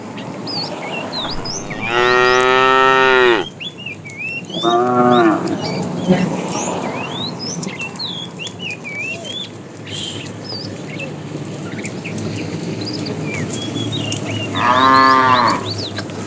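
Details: A fat cow, one of a herd of tame cows herded in the afternoon, calls for the female with a long moo, a shorter second one and a third near the end. Birds chirp steadily in the background.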